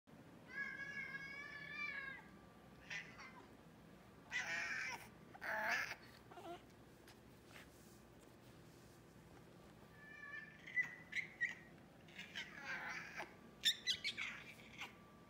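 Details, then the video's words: Male American Shorthair cat, classic silver tabby, excited and wanting to interact and play with his toys, giving strange squeaky chirps: a wavering harmonic trill, then short bursts of squeaky calls with pauses, indoors with a steady faint hum. "My Cat Squeaks."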